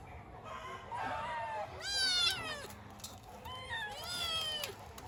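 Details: Kittens meowing for their mother: several overlapping high, wavering cries with rich harmonics, some rising then falling, a long one near the start and two brighter bursts later, over faint steady background hiss.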